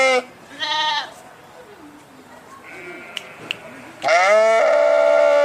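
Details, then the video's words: Two short bleats open the recording, then a quiet stretch with faint murmuring, before a long, loud, steady sheep cry closes it. "صوت الخروف | the sound of the sheep"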